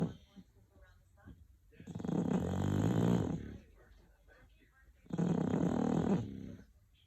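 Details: English bulldog snoring indoors: two long, loud, rasping snores of about a second and a half each, roughly three seconds apart, with quiet, softer breathing between them.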